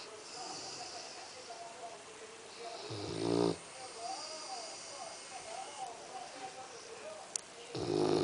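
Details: Labrador Retriever Axel snores while asleep: two short, loud, buzzy snores about five seconds apart. Soft human voices murmur in the background between them.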